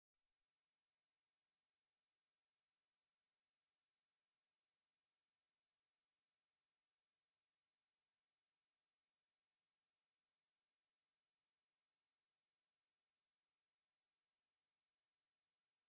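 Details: Conehead katydid (애매부리) recorded in 2020 gives a continuous, high, hissing buzz that holds steady without pause.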